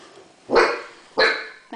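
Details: Two loud, sharp puppy barks about half a second apart from Bagheera, a seven-week-old Great Dane female on her first day in her new home, indoors.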